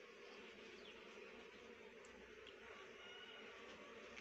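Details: Rhododendron nectar being collected by honey bees, heard as an even, unbroken droning buzz that holds steady in pitch and loudness for the whole short stretch.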